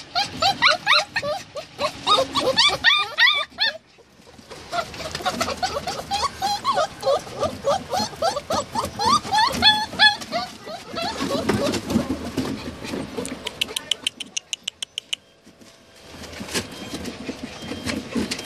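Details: Samoyed and Siberian Husky puppies give a dense stream of high, squeaky whimpers and yips, rising and falling quickly; a louder burst fills the first few seconds, then calls continue more softly amid rustling and background noise.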